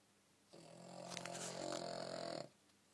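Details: Sleeping dog snoring loudly: one drawn-out, buzzy, harmonic snore lasting about two seconds, steady and rough, in a quiet indoor setting.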